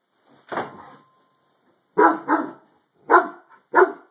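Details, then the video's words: A harlequin Great Dane barking at something under the owner's bed gives loud, abrupt barks, a single one followed by a quick double and two more. "Harlequin great dane barking at ghost."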